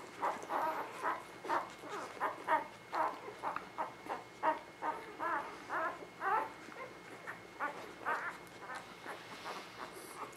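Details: Newborn puppies from a spring 2017 litter, identified by colored collars, whimper and squeak in a steady run of short rising-falling cries, several per second, with soft rustling beneath.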